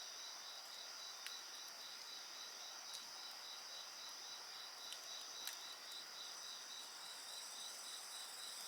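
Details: Insects singing continuously near a bonfire, bright high ringing bands and a fast rhythmic pulsed trill, punctuated by several sharp crackles and pops from burning wood.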